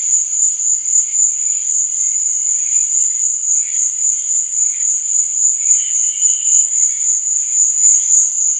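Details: Steady shrill trilling of crickets at night, fast and constant, accompanied by scattered faint lower chirps and one clearer short burst partway through.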